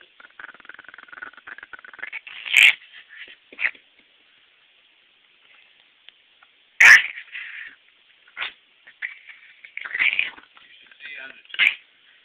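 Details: Simba, a small pet Chihuahua described as evil, gives a few sharp, harsh barks, loudest near the third and seventh seconds, with softer yaps in between over a steady background hiss.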